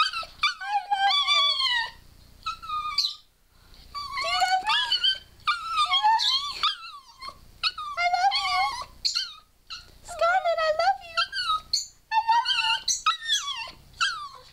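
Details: Pet dog Scarlett, female, 'talking' indoors, imitating 'I love you' and 'I love my mama': a long series of whining, yodel-like moans with sliding pitch, in groups of about two seconds with brief silences between.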